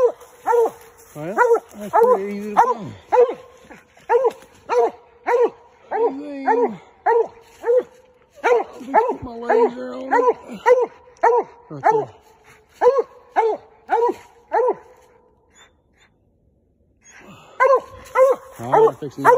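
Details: Redbone Coonhound baying at a tree during a night raccoon hunt: loud, hoarse, drawn-out bawls repeated almost twice a second, some with longer wavering notes, with a short pause near the end before baying resumes.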